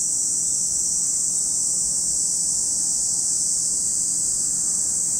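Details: Steady shrill drone of cicadas by Lake Kamo, Sado City, Niigata Prefecture, Japan, a constant high sizzling band without breaks, level throughout, over a quiet low background murmur.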